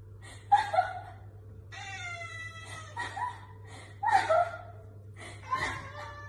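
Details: Affectionate house cat with its owner, uttering a series of short, nasal meows, about five over six seconds, one of them longer and more drawn out, against a constant low background hum.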